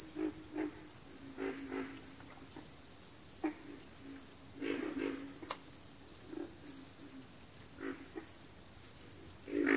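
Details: Backwater frog chorus with frequent deep grunts and croaks, often in quick pairs or clusters of three, several frogs overlapping, while a constant shrill pulsed insect buzz sits high above.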